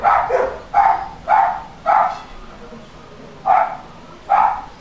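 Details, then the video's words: Dog barking captured as evidence for council noise nuisance monitoring, six loud sharp barks spaced roughly half a second to a second apart, with a longer pause before the last two. "Dog barking Council noise nuisance monitoring"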